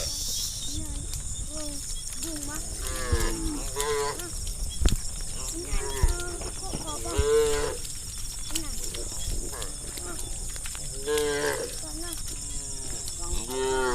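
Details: Tame cattle, hundreds strong, running through village forest interior roads; many short, overlapping moos from across the herd, repeated every second or two, with low rumbling movement noise and a constant high hiss.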